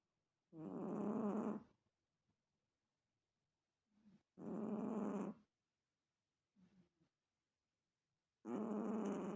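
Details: Chihuahua snoring: three rasping, breathy bursts, each about a second long, spaced roughly four seconds apart, with quiet between them and faint small snuffles.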